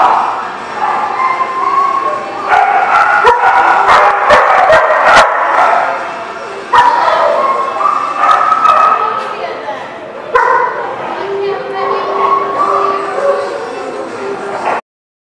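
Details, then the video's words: Dogs indoors at The Barking Lot, 1 December 2017: dense, overlapping barks and sharp yips come in bursts about twice a second, echoing in a large room, with human voices underneath. "The Barking Lot"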